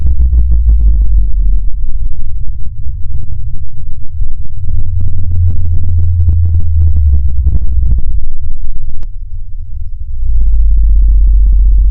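Deep synthetic rumbling drones and low electronic tones fill the recording, with no clear animal voice.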